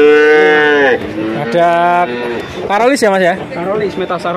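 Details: Male calf mooing at a livestock market in Grabag, Magelang, where nineteen calves changed hands: a long steady moo, then a second lower drawn-out call, followed by shorter bleating moos mixed with people talking.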